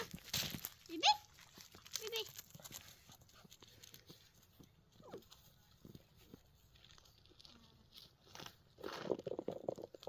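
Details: Six-week-old Golden Retriever puppies indoors give short, high, rising whines and yelps near the start, two close together, then quieter scattered whimpers, with people talking softly in the background.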